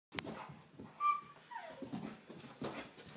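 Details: Pet dog chasing a flashlight indoors, giving a high, thin whine and a sliding whimper amid scuffling and clicking sounds.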